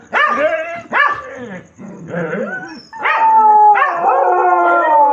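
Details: Dogs crying at night: short rising yelps and barks come in quick succession, then a long, steady, high howl is held from about three seconds to the end.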